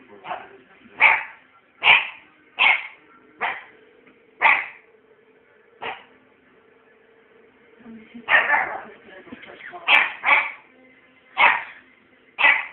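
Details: Puppy named Scampi Fry barking through bonfire night, sharp high barks in irregular bursts, about a dozen over the stretch, with a faint low hum beneath.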